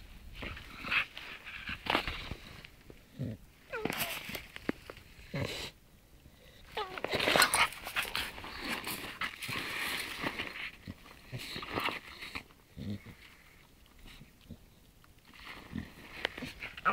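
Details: A Staffordshire Bull Terrier born in 2011, unhappy with a new outfit, whines and grumbles in short, uneven bursts indoors.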